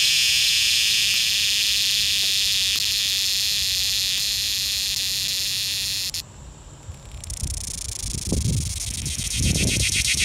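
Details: A cicada, recorded close up in a small Georgia town, gives a loud, high, hissing buzz that breaks off briefly, then resumes with a rattling pulse.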